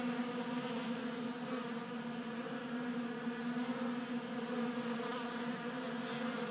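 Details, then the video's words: Honey bees at a 3D printed bee feeder in a Colorado garage on a warm January day; steady, even buzzing with a droning hum throughout. "45 Minutes of Honey Bees Feasting from 3D Printed Bee Feeder"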